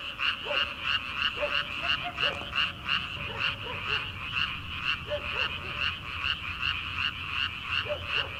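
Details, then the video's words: Night frog chorus in early-summer rice paddies before transplanting: many frogs give fast, rhythmic, raspy croaks in steady pulses, overlaid by occasional lower, short, upward-bending calls from other frogs. "초 여름 개구리 울음소리/ 논에서 들리는 개구리 소리"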